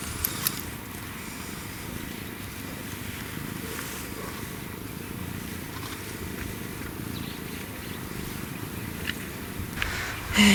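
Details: African wildcat with a kitten purring: a steady, low, rough rumbling purr runs unbroken through the recording, with a sudden louder burst of noise at the very end.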